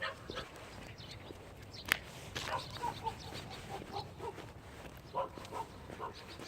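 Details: Thunder, a Jindo dog, running during a walk. Quick run of short, tonal whining yips, several in close succession, after one loud sharp click, with faint outdoor noise behind.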